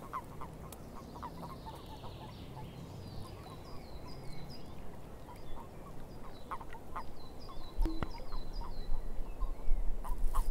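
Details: Frogs calling in a swamp: short croaking pulses scattered irregularly through a steady low rumble, with repeated series of higher, downslurred chirps overhead and a few sharp clicks. The sound grows louder toward the end.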